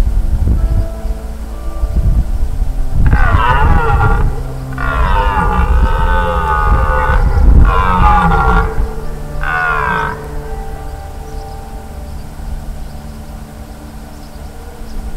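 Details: A red deer stag gives a series of deep, harsh, drawn-out roars during the rut in the Czech Republic, recorded between 15 and 23 September 2020.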